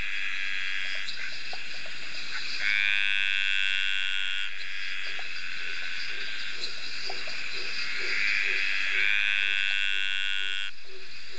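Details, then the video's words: On a rainy summer night at Ocean Shores near Byron Bay, Australia, dainty green treefrog (Litoria gracilenta) males give long, drawn-out, buzzy courtship calls that slowly rise in pitch. "Dainty Green Treefrog (Litoria gracilenta) males calling 2"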